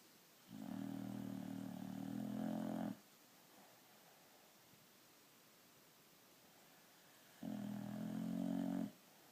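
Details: A white boxer sleeping peacefully on a couch snores in long, low rattling breaths, each lasting about two seconds, separated by quiet pauses of several seconds.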